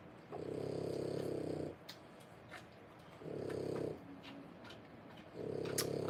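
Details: French Bulldog puppies at three weeks old give three long, low, purring snore-like rumbles of about one and a half seconds each, separated by quieter gaps with faint soft clicks and rustles.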